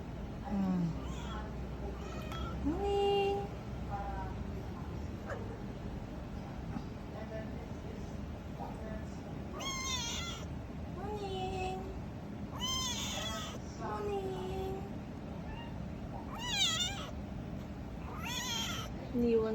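A kitten gives loud, drawn-out meows, each rising then falling, repeated every few seconds.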